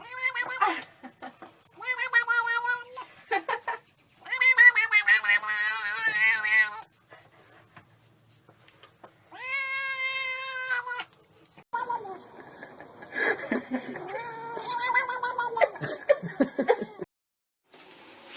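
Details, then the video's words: Domestic cats meowing and talking in a compilation: a run of short and longer meows, some wavering, some clear and level, several seconds apart. A looser, busier stretch of chirpy, chattering calls comes near the end. "Meowing, Purring and Talking Cats – Cats Making Funny Sounds"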